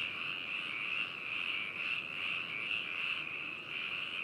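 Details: Frog chorus recorded on 4 May 2018 at Hakushu, Yamanashi, Japan, using binaural microphones and a portable recorder; loud, close, overlapping high croaks pulsing in quick irregular waves throughout.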